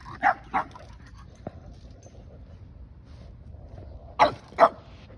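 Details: Two dogs, a Boston Terrier and a Keeshond, chase each other in circles. Sharp, short barks come in two quick pairs, one at the start and one about four seconds later, with low rumbling background noise between them.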